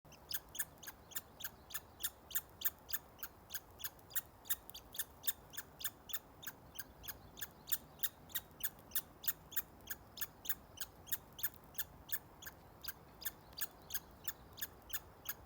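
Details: A squirrel on a local trail, filmed May 29, 2020, squeaking unusually often while eating: sharp, short, high squeaks repeated about three times per second in a steady run for the whole stretch, over a faint background hiss.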